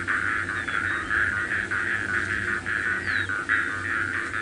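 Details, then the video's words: Before sunrise at about 5 a.m. on 7 February 2018, after overnight rain, small frogs by a puddle in the Masai Mara give dense, pulsing, overlapping trills in a steady wash of sound while cheetahs approach the vehicle. "now I'm just going to keep quiet so you can hear the frogs as well"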